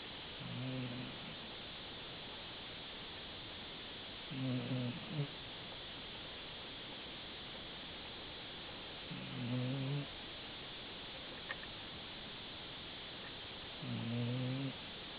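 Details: Dachshund asleep and snoring, giving four deep, droning snores spaced roughly every four to five seconds, with a faint click between them and constant low background hiss.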